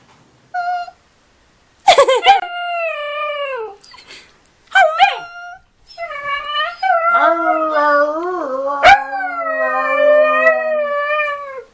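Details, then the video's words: Puppies howling: a short high note, then long quavering wails that fall and wobble in pitch, with two voices overlapping toward the end and a sharp click midway. "Cute Puppies Howling"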